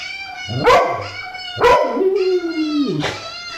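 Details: Two sharp barks from Tom, then a falling whine, as the dog responds to a puppy whose high, steady cries run underneath throughout.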